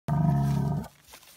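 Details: Hereford bull on the move gives a single short, deep bellow, a steady low tone rich in harmonics held for under a second before breaking off, followed by quiet.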